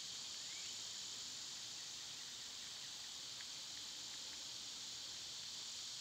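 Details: Cicadas singing in summer, on a day they were at their quietest: one flat, sizzling high-pitched chorus runs throughout, with a few faint short ticks behind it.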